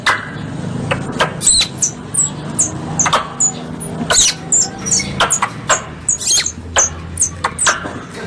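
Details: Squirrel lure call from Indonesian hunters: a long series of high, descending squeaky notes at an uneven rhythm, some in quick clusters, broken by sharp clicks and soft low background noise.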